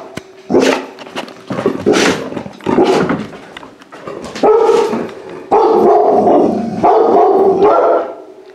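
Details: A large-breed rescue puppy in a home for the first time, after being saved from a kill shelter, opens with several noisy, breathy yaps, then shifts to longer tonal barking cries that rise and fall.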